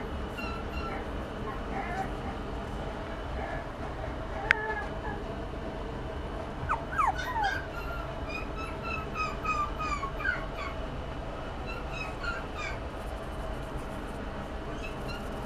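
A Toy Poodle gives soft, thin whimpers and brief whining sweeps over a steady low hum.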